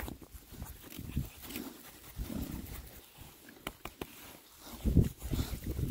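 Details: Rare breed Oxford Sandy and Black pigs, six boys, on a winter forage between storms: a few deep, rounded grunts spaced a second or so apart over soft rooting and ground noise.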